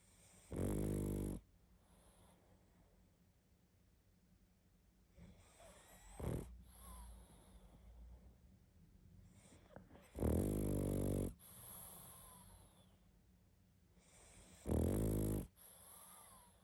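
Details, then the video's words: Sleeping pug snoring heavily: three long, loud rasping snores several seconds apart, with snorts and soft wheezes between them. "Как спит Собака🐶Мопс сильно храпит"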